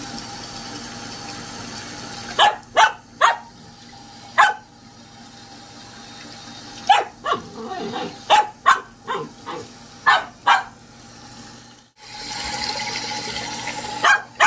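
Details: Fast-growing Samoyed puppy at home barking in short, sharp bursts, some single and some in quick runs of two or three, about sixteen barks over fifteen seconds, over a steady low indoor hum.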